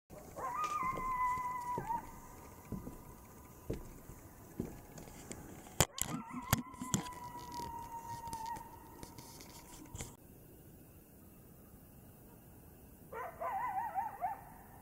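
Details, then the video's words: Coyote singing in the Blue Ridge Mountains, long steady faint howls held for several seconds, two main drawn-out notes with a brief yipping return near the end, amid patter and background noise. "Singing Coyote in the Blue Ridge Mountains"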